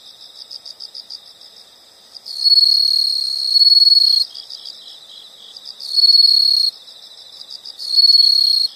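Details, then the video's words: Insect chorus from a nature recording: a soft, rapidly pulsing high chirp runs throughout, broken by three louder sustained trills, the first lasting about two seconds. "the sound of insects"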